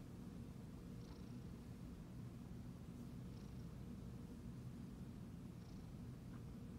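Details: Siamese cat purring while being petted; a steady, low, rumbling purr runs unbroken through the whole stretch, with a few faint soft clicks above it.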